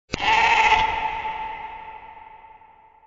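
A single sheep bleat opens suddenly, coarse and bleating for under a second. Its tone then hangs on and slowly dies away, as if echoing in an enclosed space.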